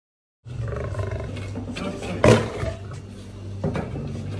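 A white lion gives a deep, rumbling roar with a sudden harsh burst partway through.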